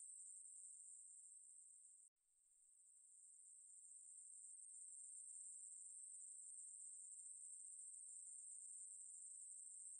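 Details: Ruspolia katydid song, National Institute of Biological Resources, 2020: a high, continuous buzz cuts off abruptly for a moment near the start, then fades back in and steadies into an unbroken drone.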